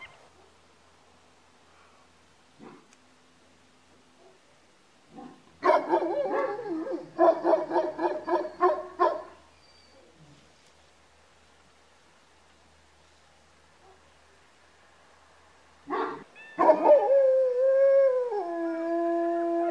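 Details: Georgian Shepherd dogs: a run of loud rapid barks, a quiet pause, then a sustained howl that dips and settles lower as overlapping voices join.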